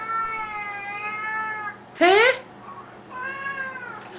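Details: Siamese cats, a noisy pair, calling at feeding time: a long level meow, then a sharp, loud rising yowl, then another drawn-out meow, while a person repeatedly asks what the matter is.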